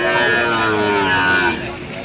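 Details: Bull suited to farm rearing, at a cattle market, gives a sustained, even, harmonic moo lasting about one and a half seconds before fading, with crowd noise and voices behind.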